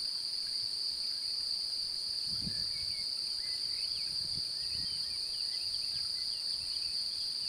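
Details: Male cricket singing to attract a mate by rubbing its wings together, with an interested female nearby: a steady, unbroken high-pitched trill with a fainter overtone above, and soft bird chirps faintly in the background.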